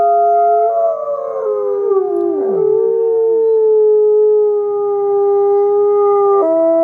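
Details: Wolf howling: several long, steady tonal howls overlap at different pitches, one dipping and sliding downward midway, holding level for several seconds before ending with an abrupt shift in pitch.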